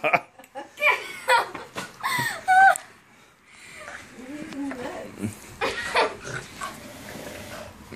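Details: A Boston Terrier gives wavering, whiny yelps and barks, insistently demanding his raccoon toy, with people talking nearby.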